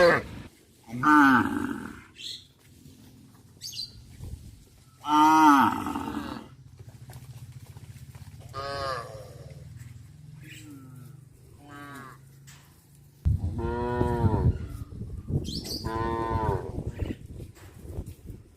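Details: Cows in traditional countryside cattle farming give several long, harmonic moos, some drawn out and falling, with quieter low rumbling between.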